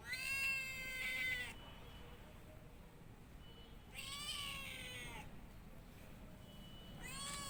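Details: Cat giving loud, rich, wavering meows about every three seconds, each roughly a second long with bending pitch, the last one cut off at the end; quiet low hum between calls.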